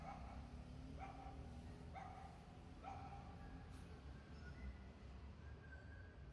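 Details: Pomeranian named Baby Whiskey, out on a street meeting two dog friends while wanting to play: three short, sharp barks about a second apart, each with a bright harmonic stack, over steady low traffic rumble.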